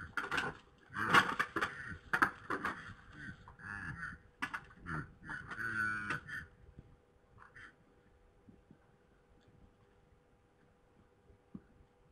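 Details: A night-time fight between red deer stags in Poland, 3 November 2017 at 21:01: about six seconds of loud, rasping grunts and hard clacks in quick succession, fading to quiet with a few soft knocks and a low hum.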